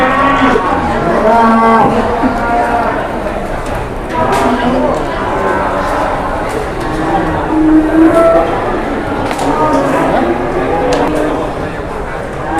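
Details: A jumbo cow paraded for sale in Indonesia among a lively crowd: several moos, some short and some drawn out, rising and falling, mixed with loud human voices and bangs.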